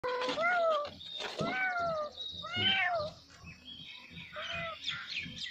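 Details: Baby kitten calling its mother, several kittens meowing together: repeated thin, high, arching mews, some rising then falling, overlapping one another with short pauses and faint background noise.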